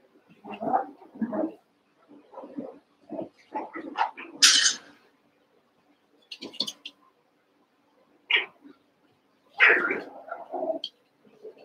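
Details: Playing Cavalier King Charles Spaniel puppies, Daisy's six joined with Robin's two remaining pups, make a run of short whimpers and yelps in uneven bursts, some sharp and high, with brief silent gaps between clusters.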